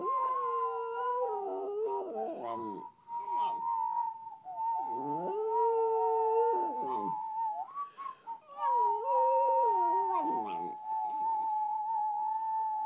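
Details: A female West Highland White Terrier, a pet dog, howls like a wolf after some coaxing. Long sustained tonal howls hold steady, broken by short wavering, dipping notes, then resume and hold to the end.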